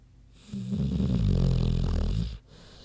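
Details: Big pig Queenie snoozing, a single loud, drawn-out low snore lasting nearly two seconds, rough and rattling, starting and ending abruptly.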